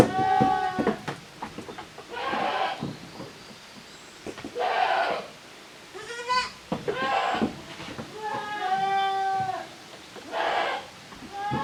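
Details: Goat kids, the offspring of Koharu and Okayu, romping in two teams in the yard of a handmade goat farm in Japan, June 2023; repeated wavering bleats, some higher and trembling, with hoof knocks and scuffling between.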